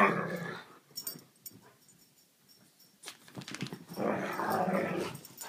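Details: Two Siberian Huskies indoors wanting to go outside: drawn-out, grumbling, growl-like talking at the start and again swelling near the end, with a man's voice asking if they want to go out.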